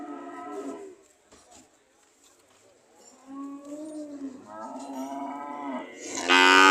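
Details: Cows ready to leave, lowing in short and medium moos separated by a quiet gap, with a sudden loud harsh burst at the very end.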